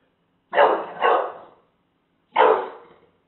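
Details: Pet English Bulldog showing a taco box who's boss: a quick double bark, two harsh bursts half a second apart, then a pause and a single louder bark.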